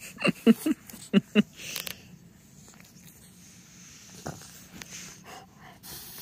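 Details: Timber, a French Bulldog, rolling playfully on a blanket-covered couch indoors: a quick run of about six short wheezy grunts and snorts in the first second and a half, then mostly quiet breathing with one later snort.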